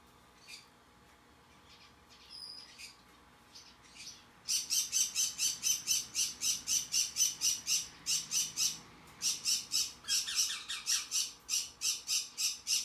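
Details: Baby white-face sugar glider, recorded 24 May 2021. After a few scattered short calls comes a fast, even series of sharp, high, rasping chirps, about four a second, for most of the clip.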